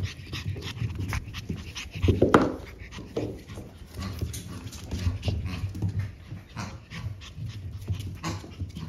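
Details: Sibling French Bulldog puppies born March 14, lively and growing well, pant quickly and breathily in a small room; a louder snuffly burst near two seconds, faint human murmuring beneath.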